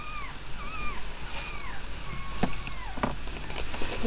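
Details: Thin, bending whimpers from a day-old puppy in Miley's new litter of five, each cry rising then falling, given about once a second over a soft background hiss.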